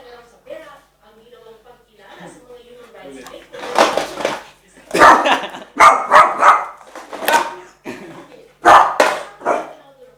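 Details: Eight-month-old male Shih Tzu Nicholas reacting fearfully to a skateboard: soft voices at first, then a run of loud, harsh barks in quick, uneven clusters of two or three.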